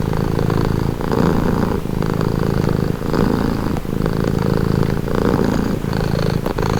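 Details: A cat purrs contentedly at close range, the deep throaty buzz alternating between inhale and exhale phases roughly every second, steady with nothing else heard.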